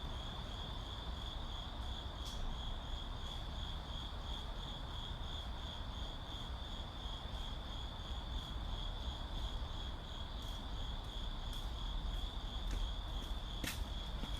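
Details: Crickets calling in a city: a steady, unbroken high-pitched trill that runs through the whole stretch, over a constant low rumble of urban traffic, with a few sharp clicks near the end.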